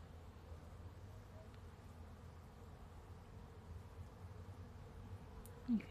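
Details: Bees buzz in a soft, steady, low drone as they pollinate a blossoming apple tree in a front yard.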